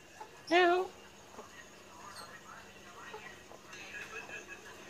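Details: Persian cat of medium coat begging for food right after a meal, seemingly cross: a single short meow, rich in harmonics with a slight quaver, then quiet room background with soft murmuring.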